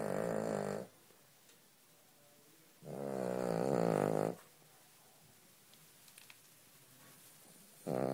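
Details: A Cavalier King Charles Spaniel snores loudly in long, rumbling breaths separated by quiet pauses.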